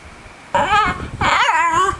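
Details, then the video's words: Pet dog trying to say hello on request, making two wavering, whining howl-like vocal sounds that rise and fall in pitch, indoors with a fan humming in the background and a woman praising him afterward. "Talking Dog Mr Bean Having Say Hello Lessons"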